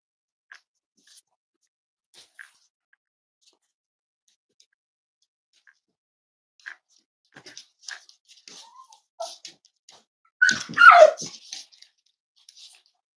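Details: Cavalier King Charles Spaniel puppies snuggling at home on a warm Friday morning, being raised as emotional support animals; after near silence and faint shuffling, one short squeaky whine slides downward in pitch, followed by soft rustles.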